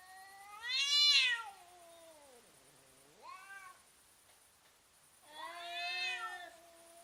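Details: Domestic cats intimidating each other before fighting: long wavering harmonic yowls, one loud rising-and-falling howl near the start, a softer low moan, then another drawn-out yowl near the end, with a faint steady high hiss behind.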